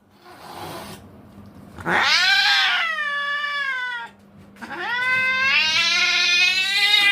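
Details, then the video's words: Angry cat yowling twice: a first harmonic wail that slides downward and fades, then after a short gap a second, longer yowl that climbs and stays loud and tense. "The Angry Hissing Cat"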